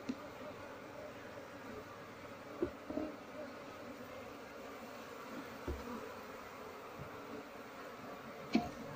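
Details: Asian honey bees whose nest in an active speaker is opened for honey and moved, with no queen or larvae seen. A continuous low drone with faint overtones, scattered taps and clicks, and a sharp knock near the end.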